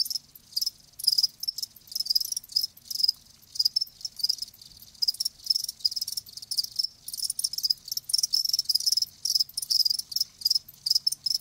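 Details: Several live crickets chirp in dense, high-pitched trilled bursts that overlap and run together irregularly, forming a continuous shimmering chorus.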